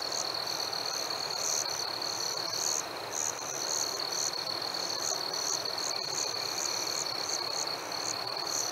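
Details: Night chorus of chirping crickets in summer warmth: a sustained high trill with brighter chirps in irregular groups, some quick runs near the end, over constant background hiss.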